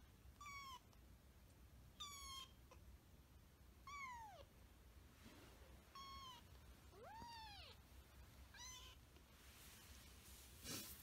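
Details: Hinoki, a kitten, meows six times in eleven seconds, about every one and a half to two seconds. Each call is a thin, high, slightly falling mew, with one longer arched call near the middle. The room is otherwise quiet.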